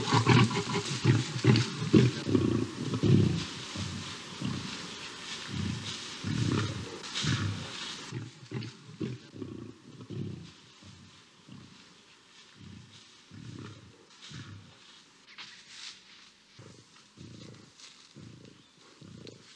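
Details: Lions fighting in a South African savanna as a lioness steps in: deep, throaty roaring bursts start loud, then fade into shorter clipped growls spaced about a second apart.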